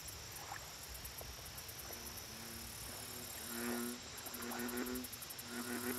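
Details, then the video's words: American bullfrog calling at a lake, low harmonic croaks building through the second half in short repeated bursts, partly masked by broad background hiss, with bursts of fast high ticking from insects. "Bullfrog Lake Audio Only"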